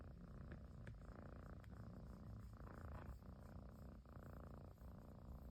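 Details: Japanese household Persian kitten purring loudly as its owner finally comes home; a dense, rumbling purr rising and falling with each breath, roughly every second, with small clicks in between.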